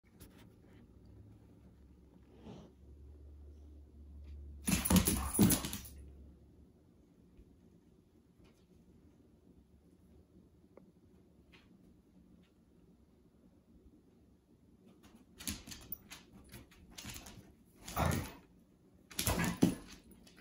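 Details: Pet dogs Lucy and Shine wrestling and tail chasing during indoor play, Lucy urging Shine to play; two loud, rough bursts of growly noise near five seconds, then a cluster of short harsh outbursts toward the end over a quiet room.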